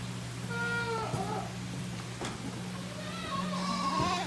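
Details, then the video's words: Six-day-old Tokara goat kid on a farm in Himi, Japan, meeting its aunt rather than its mother, July 12, 2018; wavering harmonic bleats, with a steady low electrical hum underneath. "お母さんが違うよー 生後6日のトカラヤギの赤ちゃん"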